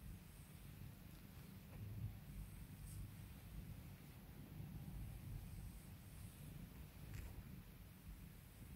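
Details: Pet cat purring while its owner calms and spoils it: a steady, low rumbling purr runs throughout, with faint soft ticks and light hiss above it.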